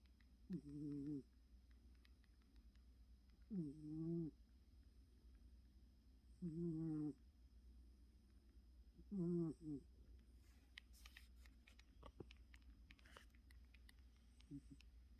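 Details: Very tired sleeping cat named Choco snoring: four short, tonal snoring breaths roughly every three seconds, then a stretch of faint clicks and rustles with one weak final snore.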